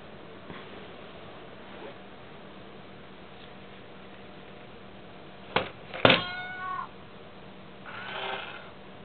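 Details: Indoors, the cat Mayu, unsettled by an Itazura coin bank kitty toy, gives one short, wavering meow after sharp clicks and rattles. A brief, breathy cry follows two seconds later over a quiet room hum.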